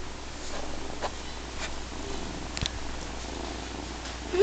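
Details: A 9-week-old foster kitten purrs loudly and steadily while sitting on a person's lap, a soft low rumble that continues without a break.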